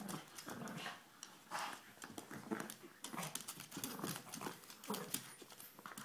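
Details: Two puppies at play, growling and grumbling in short bursts among clicking claws, scuffles and thumps of wrestling.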